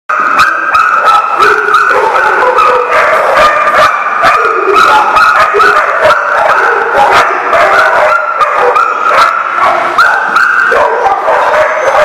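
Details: Many dogs barking together at a kennel or boarding facility, a dense, continuous chorus of overlapping sharp barks and yips with no pause, loud throughout.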